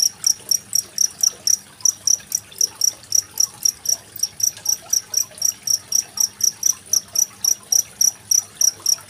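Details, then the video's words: High, even cricket chirps recorded in Indonesia on 25 February 2023 with trickling water, intended for tutoring contest songbirds like magpie-robins; around four crisp pulses per second, water murmuring faintly underneath. "Suara masteran jangkrik dan gemericik air"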